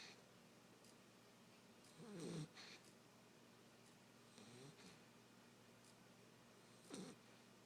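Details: A 9-week-old male Basset Hound puppy, fast asleep on a couch, snores in low, rumbling, breathy bursts about every two and a half seconds.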